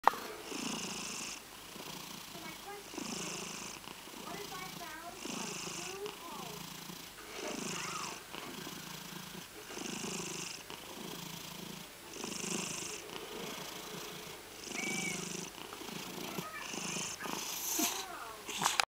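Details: Domestic cat with a raspy purr, a steady rumbling rhythm pulsing roughly every one to one and a half seconds, recorded close up indoors.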